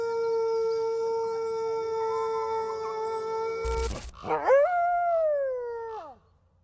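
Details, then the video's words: Wolf howl, possibly red wolf: a long flat sustained tone gives way after a sharp break to a wavering howl that climbs, holds, then slides steeply downward and fades. "Amazing Wolf Howl Compilation"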